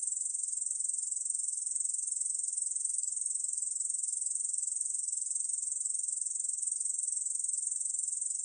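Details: Unbroken high-pitched buzzing trill of a Korean bush cricket, 2020 National Institute of Biological Resources recording, made of fast, evenly repeated pulses holding a steady loudness throughout, with no other sounds.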